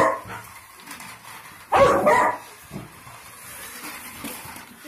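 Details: Labrador Retriever giving a single loud, broad bark near the middle, with quiet room noise before and after.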